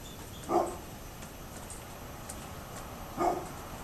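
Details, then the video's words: Barking of a neighbour's dog on 27 October 2011: two single hoarse barks spaced nearly three seconds apart, with quiet steady background noise between them. "Neighbors Barking Dog"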